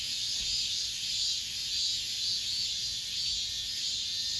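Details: Brief stretch of the summer's last cicada chorus within an apartment complex, a continuous shrill, buzzy drone held at an even loudness with slight wavering pulses and nothing else clearly audible.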